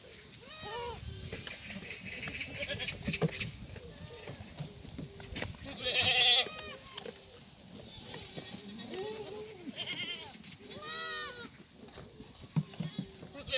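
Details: Black goats on a free-range, antibiotic-free farm on the slopes of Muchuksan, Sangdong-myeon, Gimhae, South Korea, at morning feeding on a sunny Tuesday, 28 May 2019. A chorus of many overlapping, wavering bleats rises and falls throughout.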